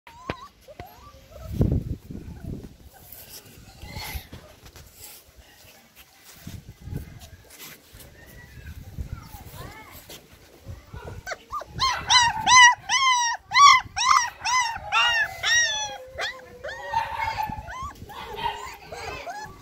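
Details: Black Caravan Hound puppy, 30 days old, gives a run of high, rapidly repeated whines and yelps in the second half, each a short falling cry, after quieter stretches of handling noise and faint voices.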